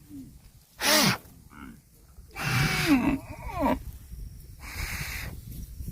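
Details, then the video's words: Cattle in a grass-eating compilation give two harmonic moos: a short loud call near the one-second mark, then a longer bending call that rises and falls over about a second, with rustling noise between them. "CUTE AND FUNNY COW SOUND EATING GRASS COMPILATION - COW MOOING- CON BO"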